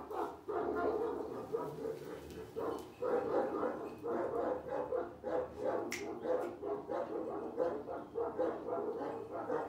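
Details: Continuous shrill yapping from two Kangal pups, karakırcıl and boz karabaş coloured, rapid and unbroken for nearly ten seconds, with a sharp click near the middle.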